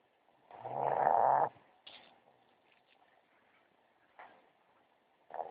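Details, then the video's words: A small female dog asleep in bed behind her owner gives one loud, rasping snore lasting about a second, followed by soft, breathy snuffles and short faint snorts in a quiet room. "snoring behind me in bed"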